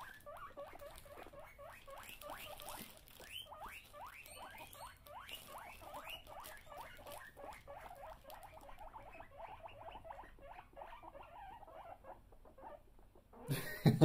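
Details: Several guinea pigs teased with an empty bag keep up a long chorus of quiet rising wheeks, dense and rapid, fading slightly before a loud rustling burst at the end.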